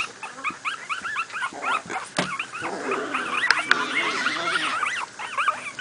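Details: A litter of two-week-old miniature pinscher puppies, born in late July 2008, playing; overlapping high, arched squeaks and whines from several pups, with a few sharp knocks and bumps.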